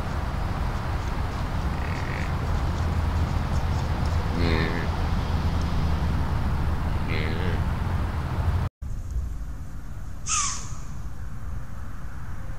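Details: Deer giving short, harsh calls with a layered tone, three of them spaced two to three seconds apart, then a single higher sharp note after a brief break, all over a steady low rumble.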